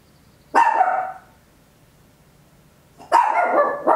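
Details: Papillon, a tiny dog, barking very loud at home: two sharp barks about two and a half seconds apart, each a broad harsh burst trailing into a ringing tone, with quiet background between.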